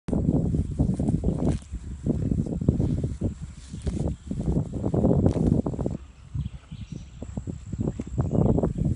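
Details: Horse grazing: repeated crunchy tearing and chewing sounds, low and irregular, with rustling grass and brief pauses between bites.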